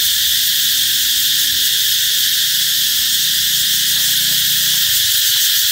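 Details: Cicadas buzzing to signal the arrival of summer: a loud, even, sustained drone with no pauses, a few faint low sounds in the background.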